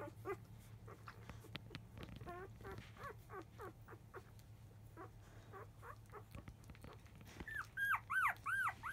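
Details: Labrador Retriever puppies five days old, field-type litter, nursing shortly after 1 pm; soft scattered whimpers and squeaks under constant low hum, ending in a few louder high arching cries.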